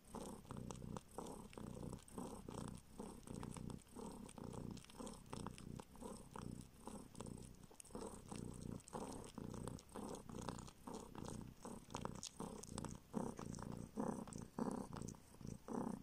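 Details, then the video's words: Rescued baby kitten in a northern Siberian village purring as it sucks a finger looking for milk, having not drunk its mother's milk; continuous deep vibrating purr pulsing in regular waves, with light sucking clicks throughout. "Kitten SUCKS finger in search of milk!"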